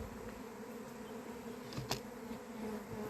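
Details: Swarming honey bees in an apiary on 28 April, the year's first swarm, arriving before the area's usual early-May date; a continuous droning hum with stacked tones and one brief sharp tick near the middle.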